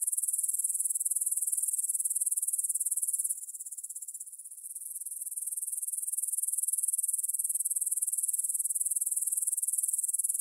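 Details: Evening meadow chorus of grasshoppers by the Svensky monastery, Bryansk, Russia, 9pm, 6 September 2020, Tascam DR-44WL recorder; continuous high-pitched rasping trill, briefly softer midway before the loud pulsing returns.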